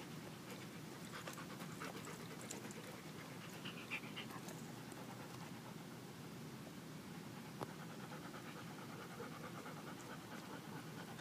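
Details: Sasha, a golden retriever, in Saturday sunshine at the dog park while dogs go through a tunnel; continuous quick, airy panting with occasional sharp taps and open-air background hiss.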